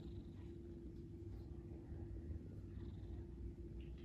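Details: A sleeping house cat snoring indoors, a steady, deep, low rumble that runs without a break through the whole stretch, with nothing else clearly heard.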